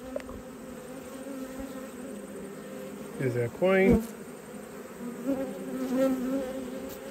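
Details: Autumn honey bee colony opened for inspection: continuous droning hum across low pitches, with a brief spoken interjection midway and the buzz swelling again afterward.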